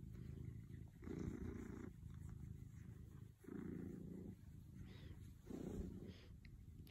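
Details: Pet cat purring in slow alternating surges, the low rumble strengthening for about a second at a time then softening, three clear louder pulses over a constant hum.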